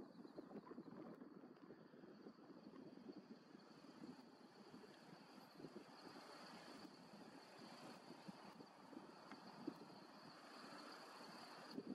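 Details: Steady wind rumble and a distant engine drone, with no clear animal voice.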